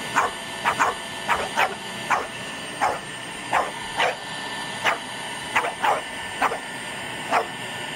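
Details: A French Bulldog, which always keeps an eye out for the vacuum as its worst enemy, barks at a running vacuum cleaner in rapid, sharp bursts, often doubled, over its steady mechanical whir.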